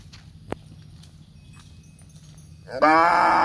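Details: A cow, standing in a row with other cows, gives a loud, rich moo that bursts in after a quiet stretch and holds steady to the end.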